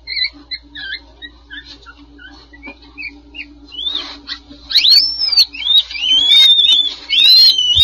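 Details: Two young red panda cubs in a nest box at Toronto Zoo, born July 2020 to a two-year-old mother, give thin, high squeaks and whistled chirps that grow louder and sweep upward.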